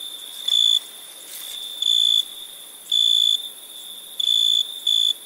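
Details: Crickets calling at night with shrill, bright trilled chirps, five bursts of varying length at irregular intervals, set against a continuous high-pitched insect drone.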